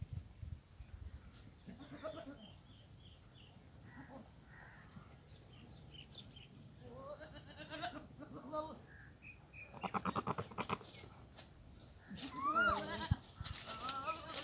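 Goats bleat in wavering, nasal bursts, with a person's voice briefly heard among them.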